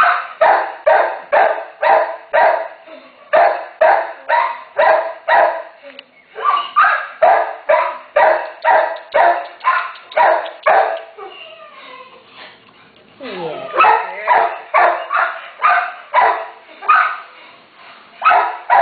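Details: Rapid, repeated barking from a terrier mother guarding her one-day-old puppies, roughly two barks per second in long runs, briefly broken by a quieter gap with faint speech and a falling whine before the barking resumes.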